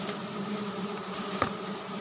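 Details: Giant honey bees (Apis dorsata) at a dry-season honey harvest, when honey is abundant and thicker: a steady, low droning hum with even harmonic bands and one brief sharp click near the end.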